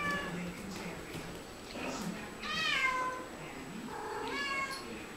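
Two Siamese cats trade drawn-out, wavering meows, one answering the other.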